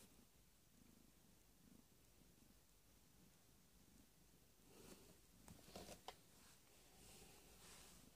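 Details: Female house cat in labour on 22 February 2017, evening, giving birth to a litter of four kittens: soft, low pulsing purr throughout, with rustling and scratching noises in the second half.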